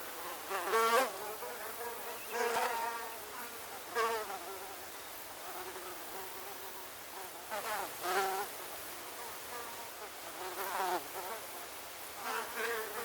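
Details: A swarm of mosquitoes heard as a cacophony, with whining buzzes swelling loudly past the microphone roughly every one to two seconds, then fading back to a softer, wavering drone between passes.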